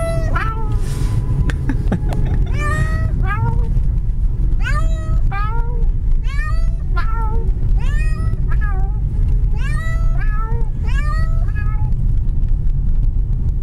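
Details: Cat taken for a car ride, meowing the whole time: repeated rising-then-falling meows, roughly one each second, over a steady low engine rumble.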